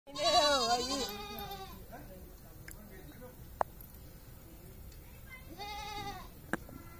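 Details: Goat kid bleating while a child plays with young goats; two wavering bleats, one long at the start and a shorter one near the end, with quiet background and faint clicks.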